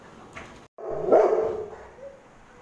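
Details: A Rottweiler, angry at kids poking it, gives one deep, rough bark that swells quickly and then trails off.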